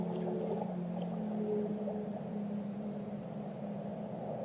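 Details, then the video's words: Whale song from the deep: low, drawn-out moaning tones with a few faint higher notes, sustained over a murky underwater wash. "Relaxing Whale Songs"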